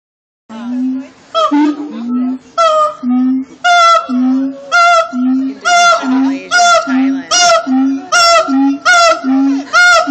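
Siamangs sing loud, repeated barking whoops over a deep, pulsing boom that comes again and again.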